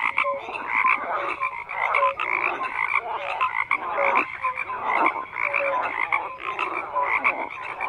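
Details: A thick chorus of frogs: rough, pulsed croaks layered from many callers, punctuated by brief clear whistled notes, continuous without pause.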